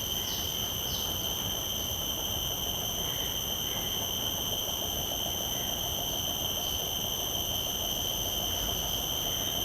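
A common cicada holds a steady, high, ringing drone without a break.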